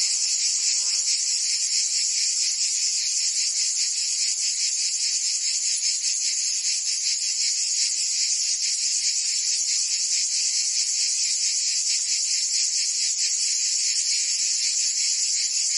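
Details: Summer chorus of cicadas in Provence, southern France, a relentless shrill hiss-like drone pulsing roughly twice a second, even in volume throughout; a faint brief lower chirp is heard near the start.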